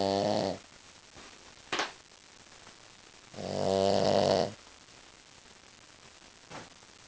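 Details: GiGi, a female Shih Tzu, snores while napping; two rasping harmonic snores about four seconds apart, with faint brief clicks or rustles between them in a quiet room.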